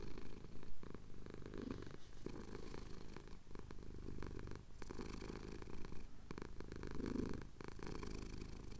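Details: A male cat, chin being scratched, purrs contentedly at Cotswold sunrise, recorded on a Tascam DR-07X; a steady bass vibration swelling with inhalation and exhalation about every second, plus light rubbing sounds.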